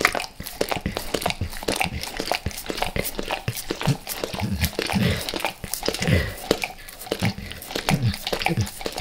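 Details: Max, a dog, chews and licks natural peanut butter and peanut butter oil before leaving El Paso; thick low gummy chewing and wet smacks in a small room, steady throughout.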